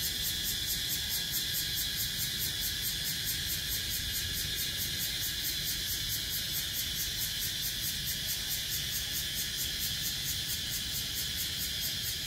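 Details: Cicadas recorded on 17 April 2023 give a loud, steady, shrill buzz that never lets up, with a fine rapid pulsing.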